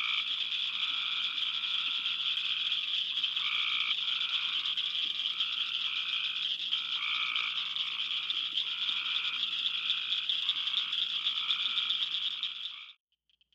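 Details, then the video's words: Midsummer frog chorus of late June to mid July, with Cope's gray tree frogs giving repeated fluttering trills in two tones about every second. Cricket frogs clack steadily throughout, and the chorus cuts off abruptly near the end. "Summer Chorus - Tree and Cricket Frogs"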